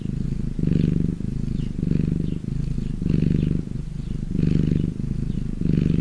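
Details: Purring domestic cat, happy: strong rumbling bursts alternating with quieter breathing phases about every 1.2 seconds, the louder exhales carrying a faint raspy edge.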